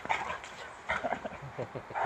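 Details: Boxer named Rex greeting his old friend Anders at a happy reunion, a year after their first meeting. Short, sharp bark-like bursts come in quick succession over two seconds, mixed with yips, while a person talks in Swedish close by.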